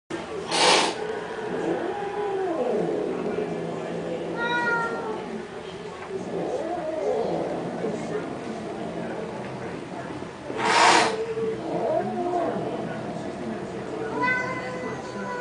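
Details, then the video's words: Funny cats squabbling over a pink Mustang: short harmonic meows rise and fall amid scuffling. Two sharp broadband bangs near the start and around eleven seconds, with muffled background sounds throughout. "Lustige Katzen streiten sich um ein rosa Mustang"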